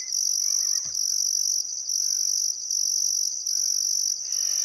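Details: Still summer sunset in Outback Queensland's Welford National Park, on the Barcoo River: crickets produce a high, buzzing, pulsed trill, joined by faint warbled bird calls and a short soft knock.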